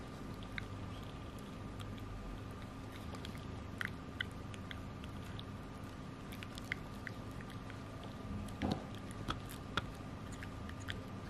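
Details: Chai, a 9 kg Pekingese, gnawing a Himalayan mountain cheese stick indoors: soft scattered crunching clicks and moist gnawing over a quiet, steady room hum.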